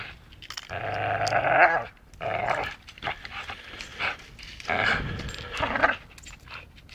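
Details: Playing dachshund biting, giving long rasping harmonic growls, three main bursts of roughly a second each separated by short pauses.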